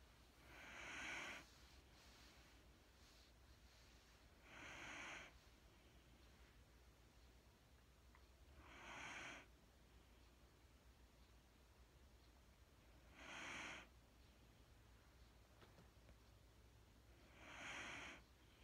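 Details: Mattie, a sleeping Wheaten Terrier, breathing indoors: five soft, airy breaths spaced roughly four seconds apart, each a short hissing exhale, over a steady low room hum.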